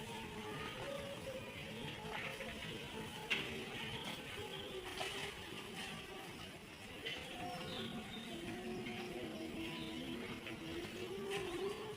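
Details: Plucked-string music plays throughout over a quiet background, with no animal voice.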